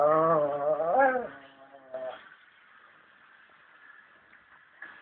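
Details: Chihuahua "talking": a drawn-out, rising and falling whine-like vocalization lasting over a second, then a short second sound, followed by quiet room noise.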